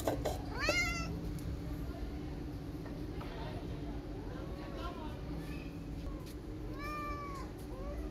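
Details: Street cat walking around a tabby kitten outdoors; one sharp rising meow early, then softer curved meows later, over constant low background rumble and possible voices.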